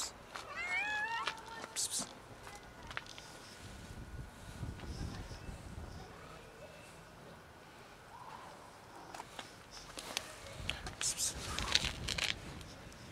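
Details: Female domestic cat making odd noises when touched by her owner; one short burst of rising-falling harmonic meows early on, then rustling, clicks and handling noise.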